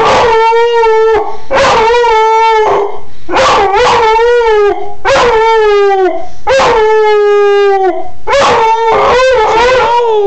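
A Siberian Husky howls in long, wavering, rich-toned phrases, each lasting about a second or two.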